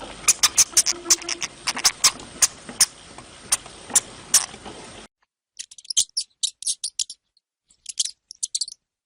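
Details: A hamster gives sharp, very high, thin squeaks in brief clusters of two to five separated by silence, after a run of dry scratchy clicks and scrapes over a steady hiss.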